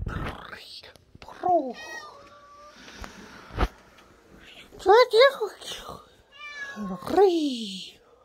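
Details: Stray cat named Momi meowing indoors: several short rising-then-falling meows near the end, mixed with soft human speech and whispering between calls.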